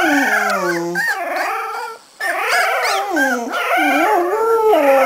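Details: Several 3.5-week-old Cardigan Welsh Corgi puppies from a Swedish kennel howl together: harmonic wavering cries in chorus, one voice holding a low steady tone, a brief pause midway, then layered wobbling wails resume.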